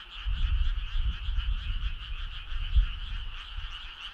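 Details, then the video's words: Summer-night choir of frogs: an unbroken, shimmering trill layered at two pitches, with soft low thudding noise rising and falling underneath. "Cool frog sound"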